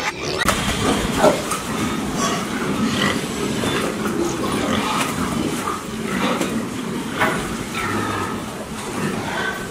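Several pigs grunt and snuffle continuously, with low, rough overlapping grunts and a few higher squeals throughout.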